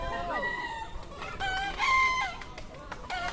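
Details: Bekisar rooster crowing at a national natural-voice bekisar contest, Pratama class semi-final, Yogyakarta, Sunday 21 January 2018; a drawn-out harmonic crow with rising and falling bends, a steady high note near the end, and crowd murmur behind.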